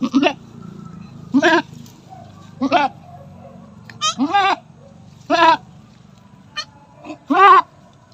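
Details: Domestic goat during her fifth kidding, giving birth: loud, wavering nasal bleats in short bursts, about eight calls over eight seconds, some rising and quavering, with quiet pauses and a low background hum between them.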